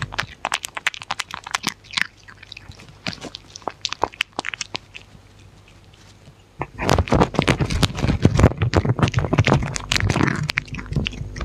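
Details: Close-up of a dog eating, with sharp crunching and chewing clicks in irregular quick bursts, sparse at first, then dense and louder from about seven seconds on.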